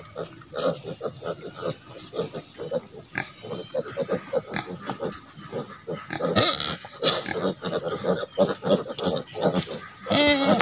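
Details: Native pig sow with piglets on a farm where natural mothering is allowed to develop: rapid, rhythmic grunting runs for most of the clip, and a short, higher squeal breaks out near the end.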